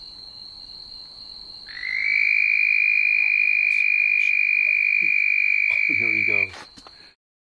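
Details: Two red-spotted toads mating at night in a back yard. One gives a loud, sustained, high-pitched trill lasting about five seconds over a steady high insect drone, followed by brief rustling and handling noise.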